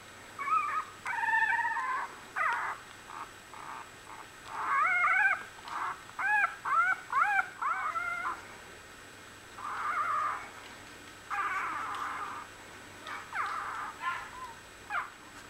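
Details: A litter of Australian Bulldog puppies, one week old, crying in repeated high, wavering squeals and yelps, several voices overlapping in bursts of a second or so, separated by brief pauses.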